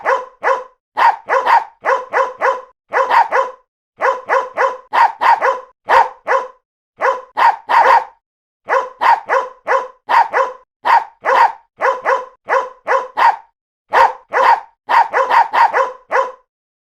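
A poodle barks in quick, sharp bursts, mostly in pairs and short runs with brief pauses.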